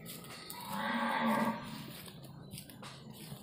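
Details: Cattle at a mosque, being prepared for Qurban slaughter in 2021: one drawn-out, low, level moo lasting about a second, while a person counts aloud in the background.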